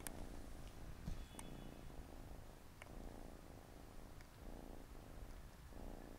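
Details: Close, continuous purring from a Siamese cat family, four kittens playing beside their mother on a Saturday afternoon; the deep rumble swells and dips with each breath in roughly one-second cycles, with a couple of faint ticks.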